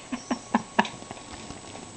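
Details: Boxer dog snoring while asleep with his eyes open; soft rhythmic snorting breaths about every quarter second, fading after the first second into quieter breathing.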